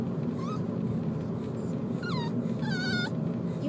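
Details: An 11-week-old female Miniature Pinscher puppy cries in thin, high whimpers that rise and fall over a low steady rumble, during the car ride home after leaving the dog park.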